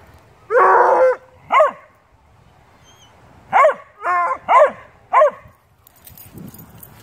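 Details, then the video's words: A beagle-shepherd mix and a bluetick dog talk and play together, giving a drawn-out yowling bark, then a run of short, harmonic barks and yips at irregular intervals. Faint rustling follows near the end. "Beagle/shepard and Blue tick talking and playing"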